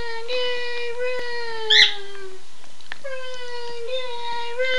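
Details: Two pet dogs howl, set off whenever their owner says "Run Guy run"; long steady mid-pitched tones rich in overtones, each held over a second, sliding slightly, with a brief sharp higher cry overlapping midway.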